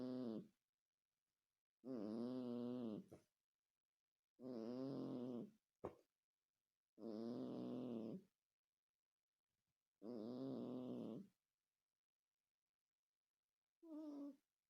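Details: A cat's heavy, eerie snoring. Long buzzy, wavering breaths of one to one and a half seconds repeat every two to three seconds, with one short snort in between and a final clipped snore at the end.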